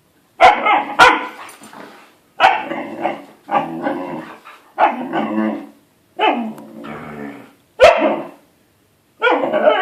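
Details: Siberian Husky puppy pestering an adult dog to play, with a run of about seven loud, rough, yowling barks spaced roughly a second apart, each sliding downward and fading, with sharp snaps between.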